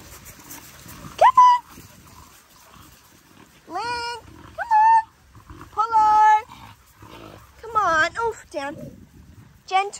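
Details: Playtime in a paddock for Linc, a young Australian cattle dog, among larger puppies: repeated high, whiny yelps and barks, some rising and some wavering, spaced a second or two apart, alongside a person's voice.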